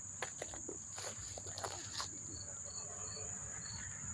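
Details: Crickets chirping up close near Monmouth Park Racetrack, New Jersey, on September 4, 2023: a steady high shrill drone, with short pulsed chirps joining halfway through, over early rustling and footstep-like clicks.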